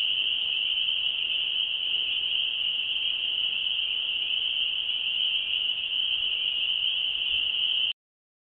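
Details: Spring peepers singing, a chorus heard since February: a dense, unbroken, high-pitched shrill wall of peeping, steady throughout, cutting off abruptly near the end.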